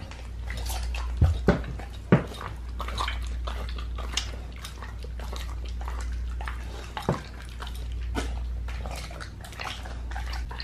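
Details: Pit bull crunching into a raw lamb leg inside a small room; sharp cracking bites stand out near the start and again around the middle amid continuous wet chewing and a low background drone.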